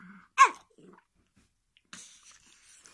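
A Shih Tzu gives one sharp, forceful bark that drops in pitch, then goes quiet.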